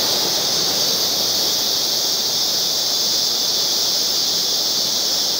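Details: Background cicada chorus, an unbroken shrill buzz held in two high bands at an even loudness throughout. Nothing else is clearly heard.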